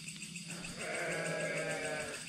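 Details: At night in a dark, partly flooded village near Jatigede, Indonesia, a goat gives a long, quavering bleat from some distance away. Dogs are also nearby.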